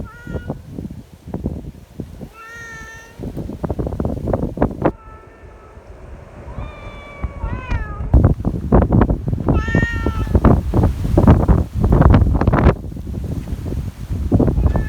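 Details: Community cats gathered in strong wind, friendly and wanting petting; several meows, some short and chirping, one rising then bending down, heard over heavy wind roar and clattering handling noise.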